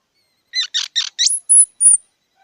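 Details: Squirrel giving a short burst of high, squeaky chirps: three quick stacked notes, then a sharply rising squeal and two thin, very high whistled peeps. No other sounds.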